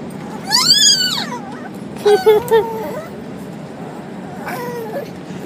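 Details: A dog makes weird, high whining cries: a harmonic rising-and-falling wail, then a short burst of three quick yelping notes, and a fainter wavering whine near the end, over a steady background hum.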